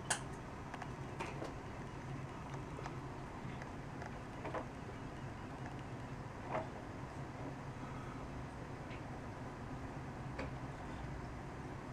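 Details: Quiet indoor room tone with scattered soft ticks and taps, like small movements on a surface; no barks or whimpers heard.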